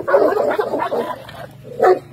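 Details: Dog at an urban dog show giving a quick run of harsh, mid-pitched barks and yelps over about a second and a half, then a short pause and one more loud bark, with low background hum.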